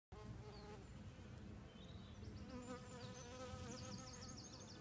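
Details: Buff-tailed bumblebees (Bombus terrestris) pollinating an apple orchard in Asturias give a steady, low droning buzz with faint bird notes behind.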